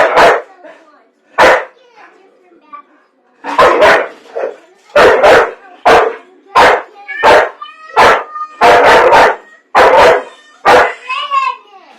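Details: Domestic dog objecting to popcorn, barking irregularly about forty times a minute, single and double sharp barks with a few whining yelps and faint speech behind.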